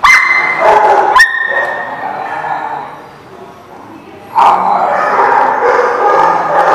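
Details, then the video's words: A dog at The Barking Lot on 11/10/17 gives a high whine-like yelp, pauses, then breaks into a sustained burst of harsh, broadband barking. "The Barking Lot"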